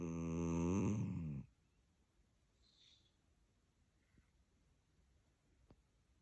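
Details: A sleeping dachshund indoors gives one loud, rasping snore rich in harmonics that lasts just over a second and stops abruptly. Near silence follows, broken by a few faint clicks and soft rustles.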